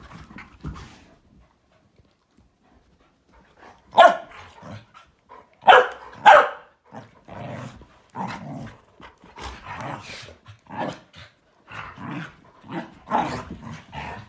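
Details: Malinois, Akita and Corgi tangling in morning play; quiet at first, then a run of sharp barks mixed with short growls and grunts, coming irregularly about twice a second.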